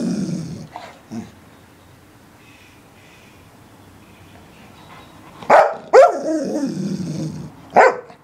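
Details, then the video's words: English Springer Spaniel barking indoors: a few short barks early, then a sharp cluster of three barks near the end with a trailing whine between them, quiet stretches in between. "Barking Springer"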